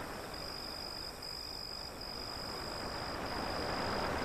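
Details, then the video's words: Crickets with steady, high, finely pulsed chirping that runs unbroken, set against a loud rush of waves breaking beyond an alley. "Waves beyond the Alley and Crickets Sound"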